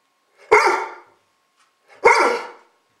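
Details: Two loud, harsh barks about one and a half seconds apart from Gunner the dog as he barks toward the camera, each bark broad and noisy with a quick decaying tail.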